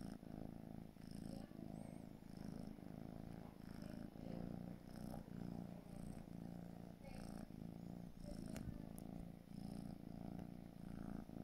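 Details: A 4-month-old gray British Shorthair kitten purrs steadily in a low, rhythmic rumble.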